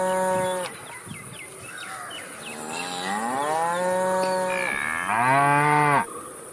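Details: Cow mooing repeatedly: a short moo cut off early, then a long, slowly rising moo, followed at once by a louder, harsher bellowing moo; faint chirps in the background and a steady high hum.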